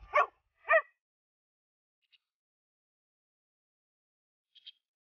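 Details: Rough Collie working as a herding dog gives two short, sharp barks in quick succession near the start, followed by near silence with only a couple of faint distant ticks.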